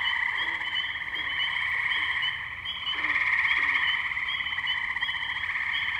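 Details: Wetland tree frogs in Firestone Park, Columbiana, Ohio, recorded 6 May 2023 on a Zoom H2n: a continuous high trilling chorus that dips briefly, then surges louder, with a few short low croaks underneath.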